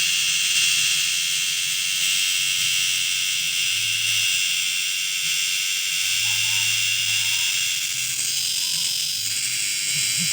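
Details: A cicada, called kundidit in Ilocano, gives a loud, steady, high-pitched buzzing drone without a break.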